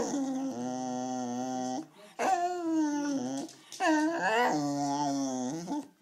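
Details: A very hungry Wire Fox Terrier insisting on food indoors, giving three drawn-out, moaning howls with strong harmonics, the second rising sharply at its start, each broken by brief silences.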